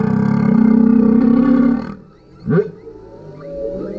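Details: Male humpback whale singing beneath a kayak, recorded on a GoPro: a long, steady low moan held for nearly two seconds, then a quick rising sweep and softer drawn-out tones.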